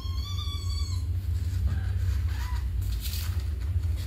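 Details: Domestic kampung cat meeting a week-old newborn kitten for the first time: one drawn-out, steady meow at the start, then faint short calls, all over a constant low rumble.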